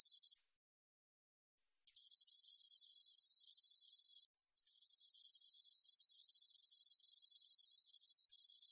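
A spotted meadow katydid sings a high, dry, continuous buzzing trill in long bursts.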